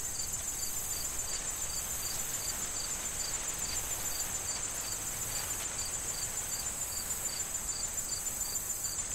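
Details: Autumn corn field ambience: crickets repeat bright, brief chirps at a steady pace of two to three per second, layered over an unbroken high-pitched trill and the rustle of wind through the corn stalks.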